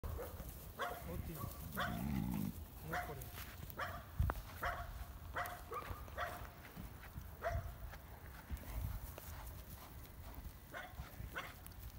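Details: Georgian shepherd dog (nagazi), a Caucasian Shepherd Dog, out on a walk with a three-year-old child; short, sharp barks come repeatedly across twelve seconds, with human voices in between.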